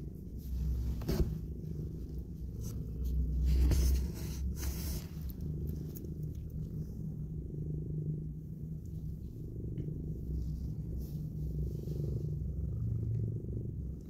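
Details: Purring mother cat cuddling and kissing newborn kittens just opening their eyes: a deep continuous rumble with rapid even pulses, louder around the fourth second, with scattered scratchy handling noises early on.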